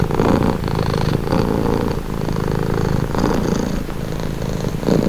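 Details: Domestic cat purring steadily at close range, a low rumbling drone with soft rhythmic swells as breaths alternate in and out, roughly one cycle per second, presented as a calming, relaxing sound.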